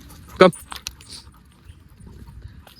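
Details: Rottweiler playing in a park: one short, loud, harsh bark just before the half-second mark, then a few faint clicks and soft rustling over a quiet outdoor background.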